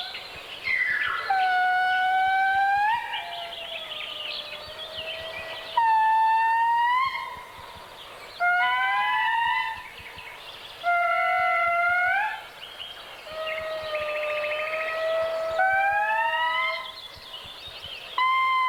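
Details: Indri (Indri indri) in Madagascar's dense forest, small groups locating one another ("we are here, where are you?"): eerie siren-like wails, long sliding notes rising and falling in overlapping bursts; the song begins with short barks and ends in a long wail.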